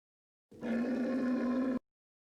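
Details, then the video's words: One even, buzzy bellow from a camel, just over a second long, its pitch level throughout, cut off sharply at both ends in silence. "Звук верблюда, крик верблюда | The sound of a camel, camel cry"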